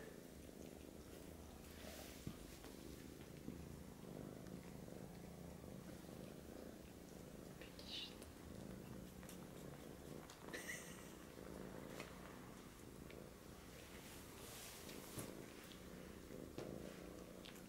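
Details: A British Shorthair kitten tries to suckle from a Siamese male while a deep continuous purr rumbles on; brief human speech and a few light clicking noises break in midway.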